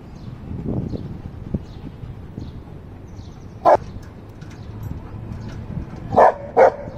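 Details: A golden retriever protecting his stone gives three short, sharp barks over a low background murmur.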